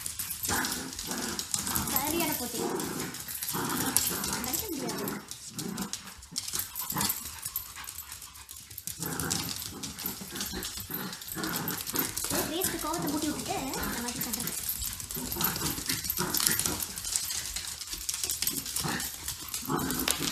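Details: Two small dogs, a cockapoo and a shih tzu, at playtime indoors: dense rough growling and snarling with scuffling, overlaid by a person repeatedly speaking throughout.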